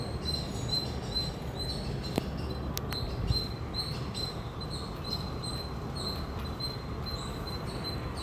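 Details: Loud chirping from an Indian squirrel, sharp high chips repeating at an even, rapid pace, set against heavy low-pitched background rumble with a couple of sharp clicks early on.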